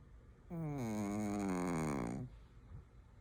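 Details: Shih Tzu snoring: one drawn-out, tonal snore lasting almost two seconds with a rich stack of harmonics and a gently wavering, slightly falling pitch, then a quiet indoor hush.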